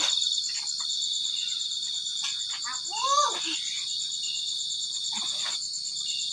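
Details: Crickets keep up an unbroken, rapidly pulsed high trill while a child's voice and other short human sounds break in now and then.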